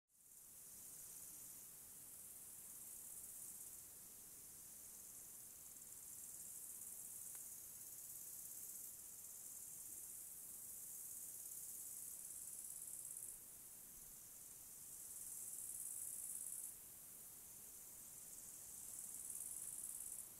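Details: Crickets in a mountain forest: a steady, very high shrill drone fills the background, with brighter, louder pulsing bursts rising out of it around the middle and toward the end, from about fifteen seconds onward; no other clear sounds.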